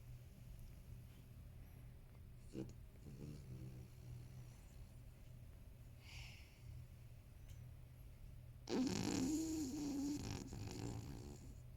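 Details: A sleeping 13-year-old male toy poodle, Marron, snores indoors near a computer. A steady low hum fills most of the stretch until one loud, rasping, buzzy snore erupts near the end and lasts about two seconds.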